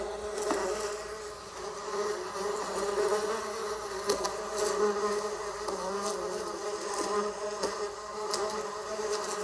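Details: Droning bee hum, rich and buzzy, rising a little in loudness midway. A few sharp clicks punctuate the steady wingbeat tone.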